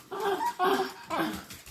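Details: Pet Shiba Inu welcoming its returning owner inside the home: three short, tonal, moaning whines in quick succession, each slightly bent in pitch, with a person answering softly.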